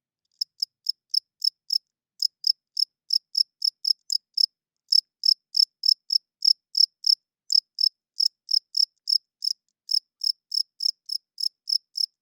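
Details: High, crisp chirps from a cricket at night, made by the male's wings to draw females and mark territory, repeated in quick runs separated by short gaps, over an otherwise quiet background.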